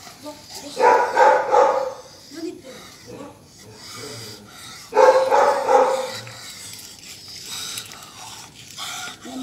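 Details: Rottweiler out for a night walk gives two clusters of short barks about four seconds apart, with human voices and background noise mixed in.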